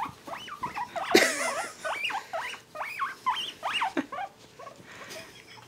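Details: Male guinea pigs squealing while being tickled and petted indoors: a string of sharp, looping whistles that rise and drop, several per second, with a brief rustle of handling partway through.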